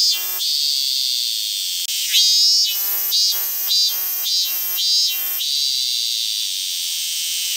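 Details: A cicada in Ibaraki Prefecture, Japan, calls with a shrill, metallic ringing that swells into a run of quick, regular pulses, over a continuous high drone, likely from other cicadas.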